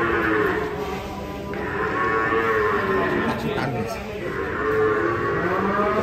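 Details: Raging cow during unloading from a truck, where it struck a motorcycle, gives a sustained low bellow that wavers in pitch, set against ongoing dramatic music.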